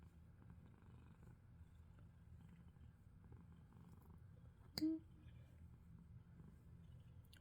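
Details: Ragdoll cat purring while being brushed indoors, a soft, steady low rumble running throughout, with one sharp click midway.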